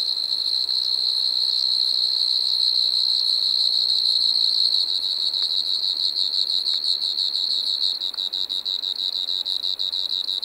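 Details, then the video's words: Pteronemobius lineolatus singing in Maggia, Switzerland on 1 September 2023, a steady high-pitched insect trill, rapid and unbroken, in later seconds breaking into quick pulses, with a few faint clicks. "Pteronemobius lineolatus -- Gestreifte Sumpfgrille -- Striped Marsh-cricket"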